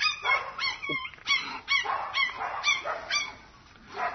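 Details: Mixed-breed puppy giving a run of high, short yips and whimpering barks, about two per second with uneven spacing, bright and squeaky, fading near the end before one last yip.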